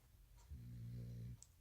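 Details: American Bully puppy asleep at night, exhausted after skipping a nap after dinner, gives one low, rumbling snore with steady deep harmonics lasting under a second, in a quiet indoor room.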